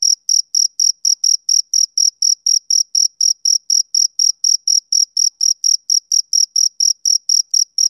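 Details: Summer-evening male cricket giving a regular train of sharp, high chirps, roughly four each second, against complete quiet.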